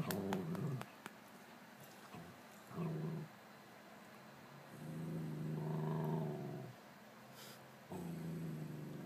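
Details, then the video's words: A Scottish Terrier, a pet dog indoors, growling at his own reflection; low rumbling growls in several bursts of one to two seconds with pauses between, a woman speaking softly nearby. "Scotty Barking at his Reflection?"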